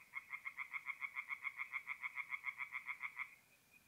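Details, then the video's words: A lone tree frog calling at night at a forest pond in north-east Italy, mid-April: a crisp run of about twenty rapid, evenly spaced nasal croaks, roughly six per second, over a soft background hiss. "relaxing forest pond by night with singing tree frogs"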